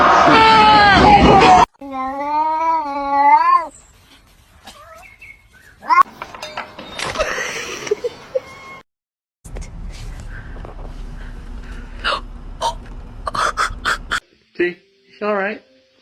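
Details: Domestic cat giving drawn-out, wavering yowls that rise and fall, then short clipped meows near the end, amid people talking and abrupt edits.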